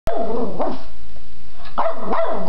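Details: Young Boston Terrier Bella gives short, sharp barks in quick bursts at a stuffed-animal Boston Terrier.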